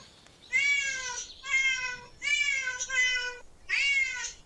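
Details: Park cats with a family and child nearby; three clear, bright meows, each long and steady before dipping slightly, separated by brief silences.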